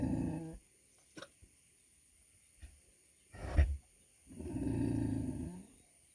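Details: A 100 kg female pig gives deep, rough, harmonic grunts, one short burst at the start and a longer, swelling one near the end, separated by quiet with a few soft knocks.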